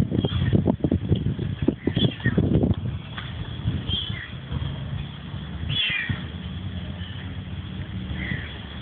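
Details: Cat in Malaysia stalking people during an outdoor photo shoot. After early rustling and handling noise, a few faint mews are followed by one clear falling meow, with a steady background hum.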